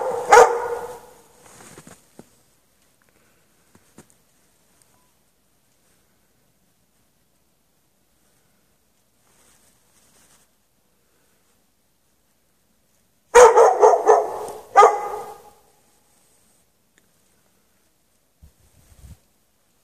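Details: At night on 3 March 2014, a dog chained in the snow without shelter from 8 PM to past 11:30 PM barks in a short burst, falls silent for about ten seconds, then lets out another cluster of barks.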